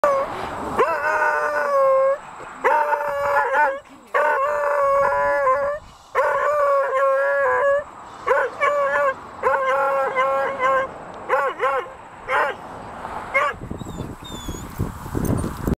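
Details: Winston, a city beagle, howls at a herd of cows he has sniffed out, in long, wavering, mournful bouts separated by short pauses.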